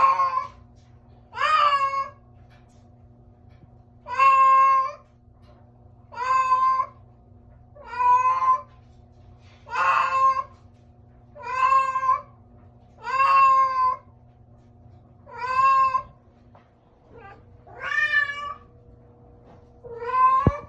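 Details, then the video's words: Pet cat making a strange sound: a long run of about eleven short, insistent meows, roughly one every two seconds, fairly even in pitch with occasional rising bends, over constant low background hum. "STRANGE CAT SOUND"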